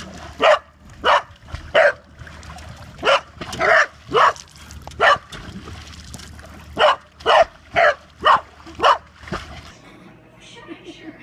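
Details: Corgi, a pet dog, barking in a steady series of about thirteen sharp, loud barks roughly every half second to one second, then falling quiet near the end; faint low background hum.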